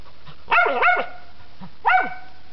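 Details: A squirrel-hunting dog in South Dakota barks at a squirrel up a tree, 2006-2007 season: a quick double bark, a pause, then one more sharp bark, followed by a man's encouraging voice.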